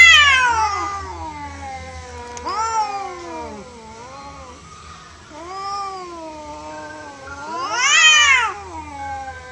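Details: Untamed cats squaring off in a real fight, the orange one beaten: moaning, bending yowls at moderate volume, trailing off in the middle, then one loud upward-sweeping scream that falls away.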